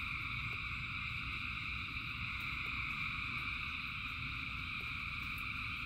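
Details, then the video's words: Massed frogs in rain keep up a steady, high, ringing chorus with several overlapping trill layers, backed by a thick low roar of falling rain. "Frogs in Rain 2 Hours of Frogs, Thousands of Frogs Singing"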